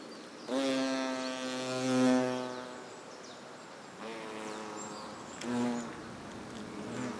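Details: Nest of European hornets in South Moravia, Czechia, August 2024, during trophallaxis food exchange: three bouts of rich, low buzzing, the first lasting about two seconds, then two shorter hums with quiet gaps between.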